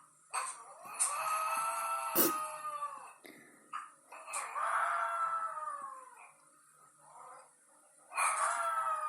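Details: Pet dog left alone in the house, howling while its owner is out: three long, mournful howls, each sagging slightly in pitch toward its end, separated by short gaps with faint clicks and thumps.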